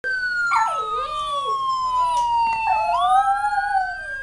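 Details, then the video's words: A female Miniature Schnauzer puppy howls in wavering, rising and falling notes against a steady, slowly falling siren. "lady howling miniature schnauzer"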